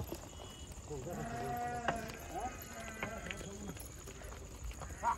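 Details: Goat kids, a large group jumping and playing; softer wavering bleats from several kids, drawn out and overlapping, with clatter and a steady high whine behind.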